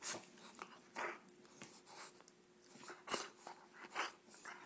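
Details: Playful female bulldog named Roxy, being teased by her owner, huffs and grumbles in noisy, breathy bursts roughly once a second, uneven in timing, each a short rasping snort or growl.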